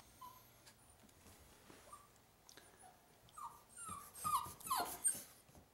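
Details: Pet dog whimpering while playing indoors: faint at first, then a run of short high whines, some rising and falling, clustered near the end and growing louder over about six seconds.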